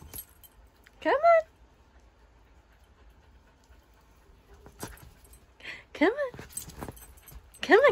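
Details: Young Siberian Husky named Kenai, playing with a shih tzu and not yet ready to jump onto the bed, lets out several brief rising-then-falling whiny yelps between quiet gaps, while a person keeps urging him on.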